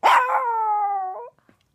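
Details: A Chihuahua in costume opens with a harsh, yelping onset and then slides into a sustained, gently descending tonal howl lasting just over a second, with an upturned tail at the end.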